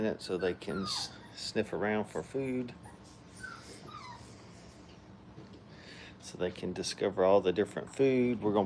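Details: Five-week-old puppies having fun at a puppy training kennel: a busy run of short, high yips and whimpering cries in quick bursts, pausing midway before another flurry of overlapping yelps, with human voices mixed in.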